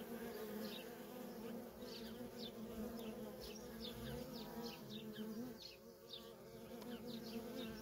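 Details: Continuous hum of many worker honey bees coming and going at a wild, feral colony, a thick low drone that swells slightly and never pauses, with frequent faint high bird chirps scattered above.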